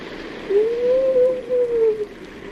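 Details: A seal in a cave gives a long, steady howl that swells slightly and then falls away, over a hiss of echoing background noise.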